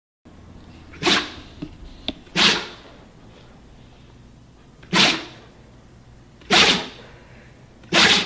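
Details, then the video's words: Steel the Siberian Husky sneezing indoors, four or five sharp breathy bursts spaced a second or more apart, each a short hissing puff, with a person's brief voice nearby. "HILARIOUS Husky Sneeze"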